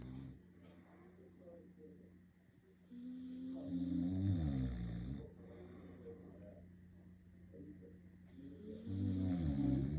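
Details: Shiba Inu snoring: slow, low, rasping snores that swell around four seconds and again near the ten-second mark, with a steady low hum underneath.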